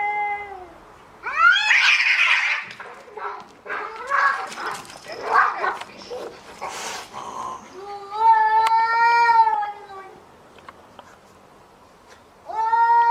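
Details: Cats fighting indoors, mixing rising howls with harsh, noisy screeches and hissing bursts, then a long steady yowl near the end and another howl starting as it cuts off.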